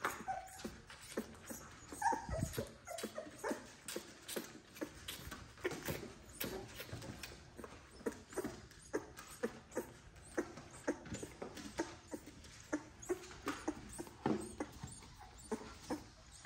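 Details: XL American Bully puppies, from a litter of ten, bottle feeding indoors to help their mother. Rapid wet sucking and smacking clicks repeat in steady bursts, with occasional soft whimpers.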